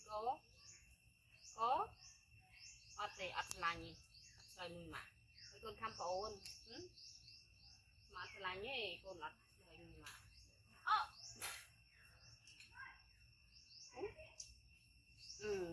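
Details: Monkey Yoko cries hard after his brother Koko, a baby male hybrid monkey found in jungle mountains, bites him. Short quavering squeals come again and again, irregular and rising and falling, over faint insect or bird chirping.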